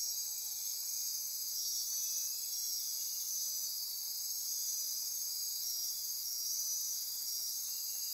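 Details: Costa Rican rainforest at midnight near Corcovado, Osa Peninsula: many insects trilling and buzzing together in a continuous high, hissing drone with slight pulsing.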